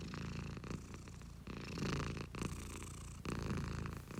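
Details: An owner's pet cat purring, low buzzing rumble rising and falling in loudness with each breath, around four breath phases, recorded up close in a quiet room.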